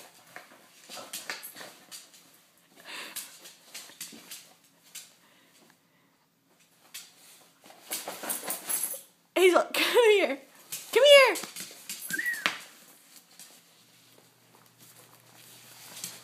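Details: A Corgi named Hazel, who does not like her coat, gives a run of arching, whining howls of complaint after some quiet human talk.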